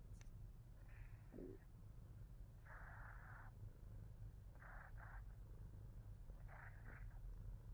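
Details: Himalayan Persian cat named Fat Boy purring steadily, a low continuous rumble, with bursts of breathy mid-pitched sound around the third and fifth seconds.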